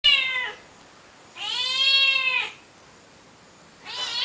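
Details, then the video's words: A female cat that often visits and lies behind a house, meowing in a backyard: three drawn-out, harmonic meows, the middle one about a second long with an arched pitch, separated by quiet gaps. "kitty at my backyard..(never gets tired of meowing)"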